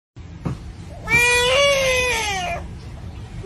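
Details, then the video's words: Bullfrog in Taizhou, Jiangsu Province, China, filmed April 8 after a chef spared it from cooking, giving a long, loud, wailing cry like a human baby saying "mum", harmonic and slightly rising then fading, after a short click. "Frog With Baby Crying Voice"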